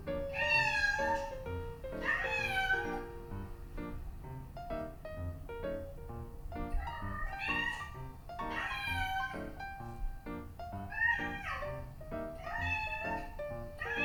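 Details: Domestic cats, a prick-eared Scottish Fold named Pom and a long-legged Munchkin named Shima, both female, indoors with their own meows played back while they gather; repeated drawn-out rising-and-falling meows come every second or two over steady background piano music.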